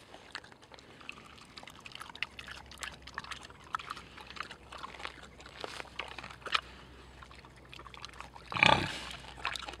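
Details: Tamworth pigs feeding at Knepp Wildland, crunching and rooting with quick dry clicks and chewing noises throughout, then one louder, brief rough grunt near the end.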